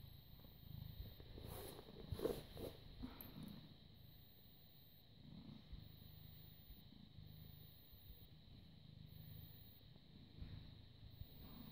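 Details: Affectionate British Shorthair cat, born 18 August 2010, purring during cuddles on 30 August 2017 at 09:51; deep pulsing purr broken by rustling touches near the start, then resuming evenly to the end over a soft background hum.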